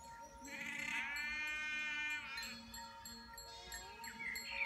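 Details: Ewe with a newborn lamb, attentive and caring: a long, wavering bleat stretching nearly two seconds, bright and harmonic, followed by softer short cries, with a constant droning tone in the background.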